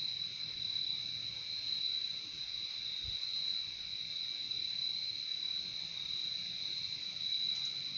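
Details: Crickets in a nature recording offered for relaxation and sleep: a dense, steady, high trilling chorus with no pauses, two bright bands of sound holding level throughout, over a faint low rumble.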